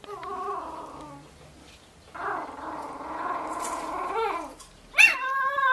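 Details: Husky puppy vocalising in a small indoor space: a short wavering whine, a pause, then a longer grumbling, moaning whine, ending with a sharp, higher-pitched yelp-like cry.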